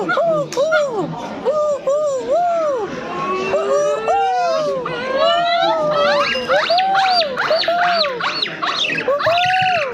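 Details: Silvery gibbon song of looping, arched whoops repeated about twice a second, with higher, faster rising notes overlapping later, suggesting more than one caller; steady hum and faint chatter beneath.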